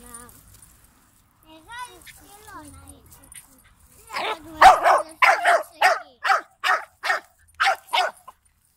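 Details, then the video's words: Greek Jack Russell Terrier puppy hunting a big turtle: soft whimpering squeaks at first, then a burst of about ten loud, sharp barks roughly every half second. "Jack russell pupa hunting a turtle"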